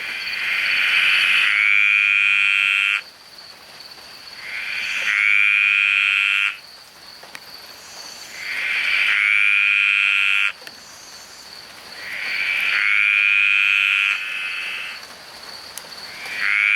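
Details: Green tree frogs sing very loudly in a rainforest, giving buzzy trilled bursts about two seconds long, repeated every few seconds.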